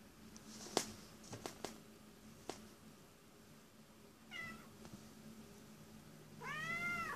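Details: Cat crying, mostly quiet with scattered clicks and taps, then a short meow midway and a louder, drawn-out wailing meow at the close, indoors with a faint steady hum.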